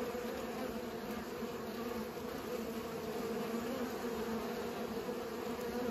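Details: Pollinating bees give an unbroken droning buzz, strong low bands around 250 and 500 holding level for the whole stretch, dense and constant without pauses.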